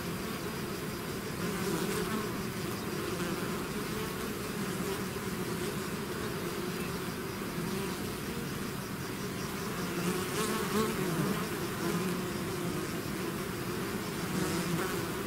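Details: Swarm of bees out of its hive, a dense continuous hum with wavering bands near 200 and 400, many wingbeats overlapping steadily for the whole stretch, a few brief louder passes from bees flying close.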